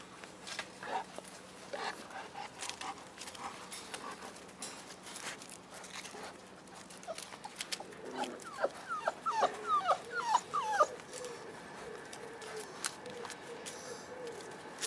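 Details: Five-week-old Boerboel puppies with their mother Cleo: a cluster of short, high, rising squeaky whimpers bunched near the middle, repeated in quick irregular bursts over a steady low background hum.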